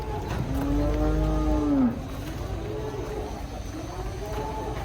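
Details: Cow being unloaded from a truck, shown as an unusual animal. A single long, steady moo lasts about one and a half seconds and drops in pitch at the end, followed by a quieter, softer moo. Background murmur.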